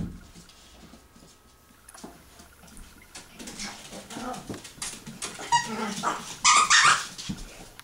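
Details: Gidget, a 16-week-old, 1.3-pound AKC Yorkshire Terrier puppy, plays indoors with her toys and with three adult dogs under a door crack: scratching and rustling at first, then high, harmonic whines and yips crowding the last few seconds.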